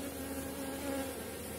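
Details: Honey bees at a Polish apiary with a strong colony late in the season: a steady, even drone of many bees with a constant low hum throughout, no other sounds.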